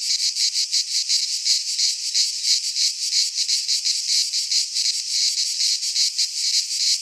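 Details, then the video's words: Cicadas singing in midsummer in a Greek pine forest: a dense, continuous high buzzing chorus pulsing roughly three times per second, steady throughout with no other sounds. "Cicadas singing in midsummer - Nature sounds from the Greek fauna - Sounds of cicadas"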